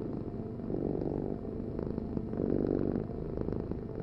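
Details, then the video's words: Domestic cat purring in a steady low rumble, swelling in two louder breathing phases across four seconds, with no other sounds. "Heal with the ultimate cat purring vibration"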